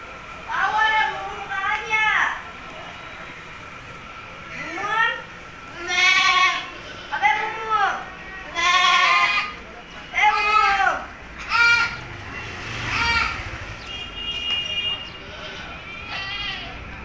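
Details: Black Bengal goats on a desi goat farm in Kolkata give wavering, nasal bleats in bursts, several in a row, with people talking over and between them.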